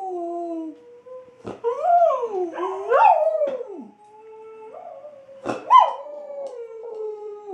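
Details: Sandy the Australian Kelpie howls in response to a recording of herself howling; wavering rising-and-falling howls with sharp onsets, alternating with a steadier, flatter tone from the played-back howl.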